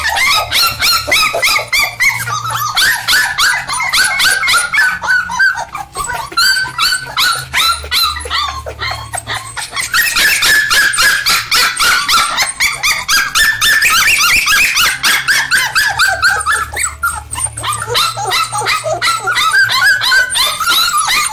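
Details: Standard Poodle puppies, five weeks old, from Jazzie's litter, giving a steady stream of high-pitched yips and squeaky whimpers, several pups calling over one another in rapid, overlapping bursts throughout.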